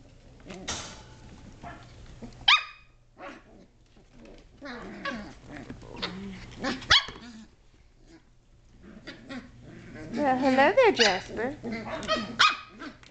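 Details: Playful Sheltie pups, seven and a half weeks old, wrestling and climbing indoors in 2010. Scattered squeaky barks and yips, then a rising burst of rough puppy growling and squealing near the end, with household clatter between.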